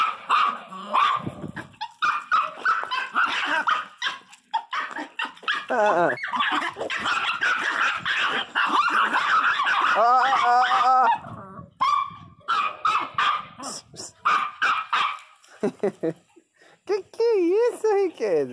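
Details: Teco, a pet Miniature Pinscher, crying very loudly and fiercely. Dense yips and barks give way to long, arching, howl-like whines that rise and fall, with a short pause midway. A man's voice is faintly mixed in.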